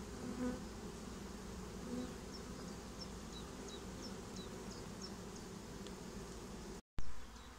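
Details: Honeybee swarm getting a new home, a steady low droning hum of many wings filling the whole recording, with faint high chirps from other birds in the background and a brief dropout near the end.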